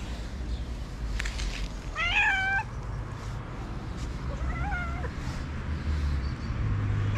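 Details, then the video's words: Stray cat in Morocco asking for food early in the morning: two brief, wavering meows a couple of seconds apart, the second softer, against a rumbling outdoor background. "I met a cute stray cat early in the morning who wants food."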